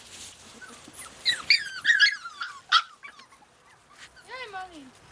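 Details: Australian Cattle Dog puppies in Slovakia giving high, squeaky whines and yelps with sliding pitch, ending in one long falling whine, with soft background voices.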